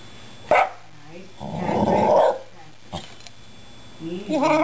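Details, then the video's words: Shiba Inu dog 'talking' to two rescued cats at home: a short sharp yelp, then a long rough, growly moaning vocalization and a rising whine at the end, with quiet room noise between. "The Shiba Inu - Talking To The Cats"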